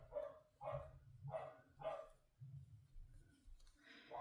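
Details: Pet corgi barking downstairs indoors, apparently after finding something she wants, possibly a sock: four sharp, muffled barks spaced roughly half a second apart, then a woman's voice starts speaking nearby over a low household hum.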